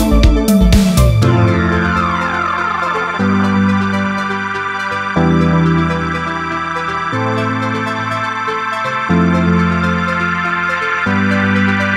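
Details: Loud electronic synthesizer music with a sweeping opening, then a steady keyboard beat; no animal sound is heard.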